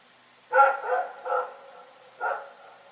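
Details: Dog named Rex barking at night, three quick mid-pitched barks in a row, then a short gap and a fourth bark.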